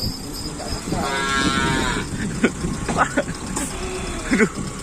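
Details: Bull-race cattle training for kerapan sapi at the Asemanis field on 6 November 2022, ahead of a race: a single harmonic, rising moo lasting about a second, followed by clattering knocks and crowd noise.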